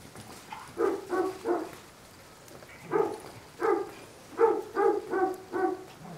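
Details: Bloodhound named Drummer, in foster care with Ontario Bloodhound Rescue, barking while playing with other dogs at his foster home; deep, harmonic barks come in quick bursts of two or three, repeated through the clip.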